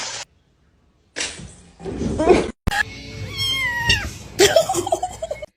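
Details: Domestic cat in a funny-cat compilation, giving a drawn-out meow with a long level tone that bends downward, set between abrupt cuts, with background music and voices.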